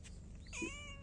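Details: Domestic cat giving a single short meow, a rising then falling whine lasting about half a second, over a steady low hum.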